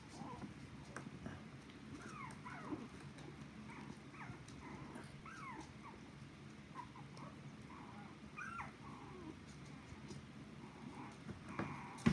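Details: Puppies whimpering and yipping: many short thin rising and falling squeaks overlapping throughout, steady low background hum.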